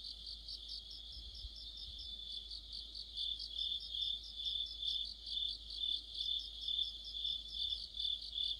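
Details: Autumn insect orchestra led by crickets: a dense, unbroken high-pitched trilling that swells in loudness during the second half, rhythmic pulsing becoming more pronounced toward the end.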